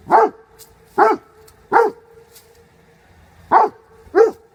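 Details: A dog gives five short, punchy barks. The first three come about one second apart, then a pause, then two more close together. The background is quiet.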